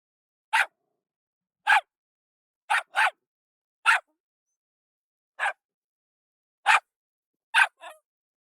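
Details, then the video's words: Jack Russell Terrier, a small bold English terrier breed, barking: eight sharp, clean single barks and one quick double, spaced about a second apart with silence between. "Jack Russell Terrier Barking"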